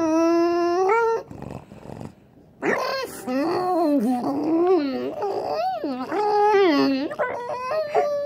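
A French Bulldog makes rising and falling yowling whines that sound like an engine revving.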